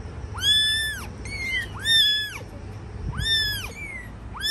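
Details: Cat mother tending her babies: loud, clear, arching mews come in quick pairs, a long bowed cry followed by a shorter higher one, about once a second, over faint low hum.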